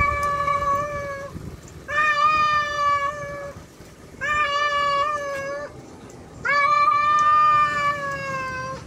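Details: A tomcat calls out for a wild female with four long, loud, harmonically rich meows, each held for about a second and a half, separated by short pauses; faint low background hum.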